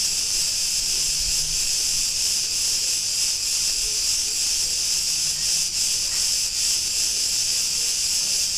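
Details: Street chorus of Cretan cicadas in Ierapetra on Crete, Greece, a continuous shrill sizzling drone pulsing gently about two and a half times a second, with no other clear sounds.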